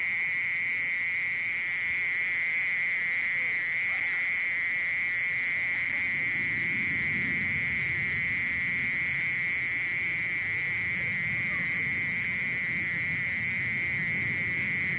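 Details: Continuous mole cricket song from a 2020 National Institute of Biological Resources recording, a level, droning trill sustained throughout at constant pitch, with soft low rumbling noise beneath.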